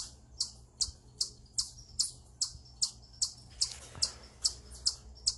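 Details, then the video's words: Eastern chipmunk calling from atop a rock, said to be a stress call; crisp, piercing high-pitched chips repeated at a fairly even pace, about two and a half per second, with faint low hum behind. "Eastern Chipmunk Vocalizing Upon A Rock"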